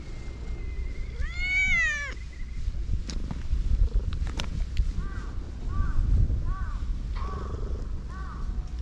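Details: Affectionate cats swarming a walker on a cat island in Japan: one long, wavering meow rises and falls, then a run of short, evenly spaced mews follows, with steady low wind rumble and faint clicks underneath.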